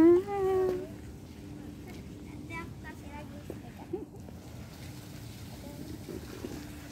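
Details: Pet cat, finding separation hard, gives one loud, level meow lasting under a second at the start, then only quiet room noise and faint murmurs.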